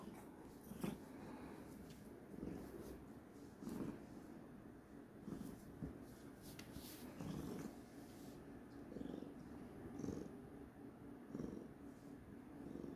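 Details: Domestic cat said to be in a bad mood, making a low rhythmic rumble that swells in bursts about every second and a bit, with faint handling noises.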